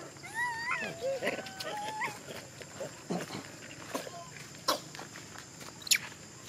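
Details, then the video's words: Monkey from a wild troop crying: a run of thin, whistled calls that slide upward and waver, several in the first two seconds, then quieter clicks, rustles and sharp knocks in an outdoor setting. "Poor monkey Big Bertha Crying forever"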